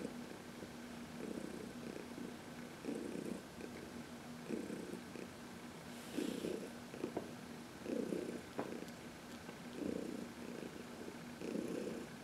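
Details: Purring senior cat Heidi, aged 14, adopted from the Humane Society of New York City, relaxed during a sunny massage on March 19, 2021; steady low purr swelling in rhythmic bursts about every one and a half seconds, matching each breath.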